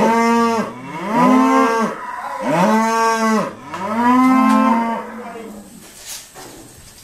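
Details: Irish Dexter cows mooing while being sorted at Stone Meadow Farm: three loud, rich lows in quick succession, each sliding up then holding, fading into quieter farm noise and faint clanks.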